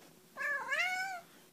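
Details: A single meow from a cat saying hello: short onset, a brief dip, then a smooth, bright, sustained tone that fades out, in a quiet setting.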